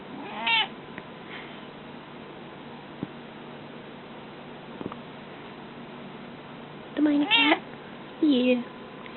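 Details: Indoor cat making loud, insistent meows: one early short cry, then two strong wavering meows near the end, falling in pitch. A person speaks softly and there are faint clicks in between.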